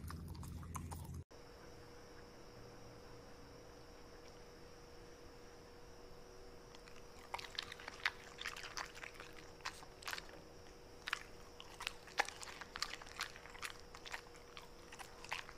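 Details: Corgi eating indoors, its meal including steak, broccoli, blueberries, choy sum, asparagus, tripe and pumpkin; near-silent at first with a faint steady hum, then sharp wet crunching bites and clicks start about halfway and grow more frequent.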